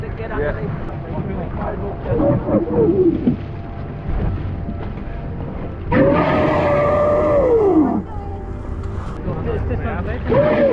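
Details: A young whale entangled overnight in a shark net off Mermaid Beach, Gold Coast, in the evening early in migration season, gives drawn-out distressed tonal moans, arching up and falling away, over a rumbling underwater hiss.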